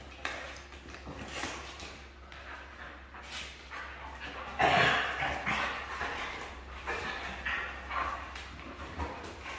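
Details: Red female Siberian husky vocalizing indoors: a series of muffled, smeared barks and yowls, loudest and fullest around the middle, with quieter grumbling sounds on either side and a steady low hum underneath.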